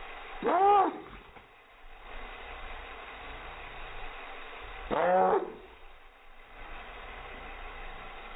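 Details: Chihuahua reacting to helicopters with two strong, bowed, yowling barks about four seconds apart, each roughly half a second long, over a quiet constant background drone.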